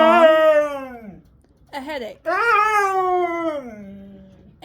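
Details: Siberian Husky on a Sunday morning gives a loud wavering scream that tapers downward, pauses, yelps briefly, then lets out a second long howl sliding lower before fading.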